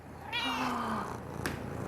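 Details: Pet cat Mish Mish gives a quieter, softer meow lasting under a second, followed by a brief click and low background hum.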